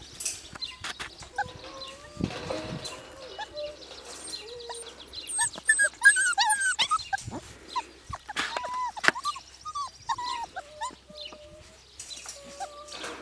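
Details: Siberian Husky puppies from Nymeria and Deeks, aged four weeks and two days, give a string of thin, tonal whimpers and squeaky whines. Some notes rise, others hold steady or bend, with short yips between them and faint shuffling noises.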